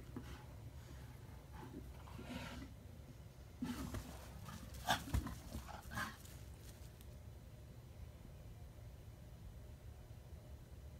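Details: An anxious male Rottweiler gives a few short, gruff alarm barks after seeing a person walk by, guarding alongside a female.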